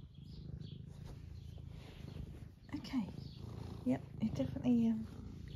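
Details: Semi long-haired domestic tabby cat, eleven years old, in the UK, purring contentedly as it is stroked and seeks attention; a soft continuous low purr, with a person's voice speaking over it in the second half.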